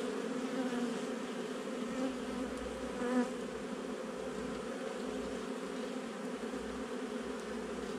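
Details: Many honey bees buzz in a month-old nuc opened for inspection on 8 July 2020, giving a continuous low drone with stacked harmonics and a short brighter swell around the third second.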